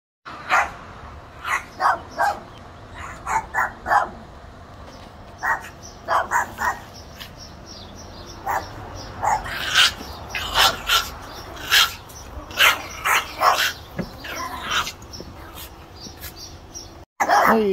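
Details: Several trailer park Chihuahuas bark sharply while attacking and biting a chain-link fence to get at a person they dislike; clustered yappy barks come in bursts, denser toward the middle, with a voice speaking to them at the end.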